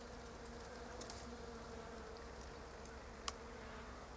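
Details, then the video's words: Bees moving around pink Japanese quince flowers, rarely landing; a soft continuous hum with a faint steady tone, plus a single sharp click near the end. "Bees in Pink Japonica Blossoms"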